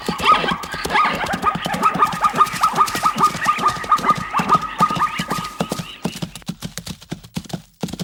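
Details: Zebra giving a rapid series of short, sharp barking yelps, about two per second, for six seconds. A faint steady tone runs under the calls, then they trail off into softer, scattered pulses.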